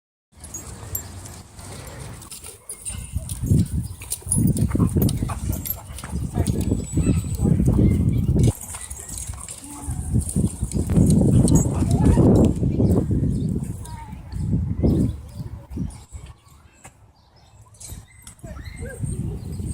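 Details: A large group of dogs running and playing together at a dog park on a Friday evening; loud, low, irregular bursts of barking come thick and fast, with people talking throughout.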